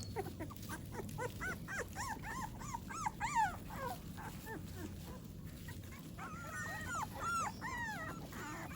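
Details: Several American Pit Bull Terrier puppies, fed and settling on a lawn in the morning, give thin arched whimpers and squeaky yips in an overlapping chorus, fairly quiet against a low background rumble.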